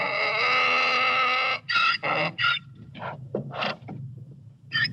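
A donkey brays: a long rough harmonic note, then a run of harsh, rhythmic gasping bursts.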